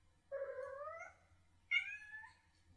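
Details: Kitten chirrup used to say 'come here' to people or other cats and draw attention: two clear, upward-sliding trilled calls, the second starting higher and sharper, with a low background hum.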